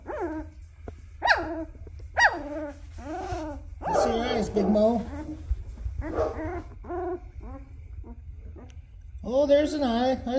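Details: Black Labrador puppies about two weeks old, eyes opening, squeaking and whining in falling, slurred calls while a man talks softly nearby.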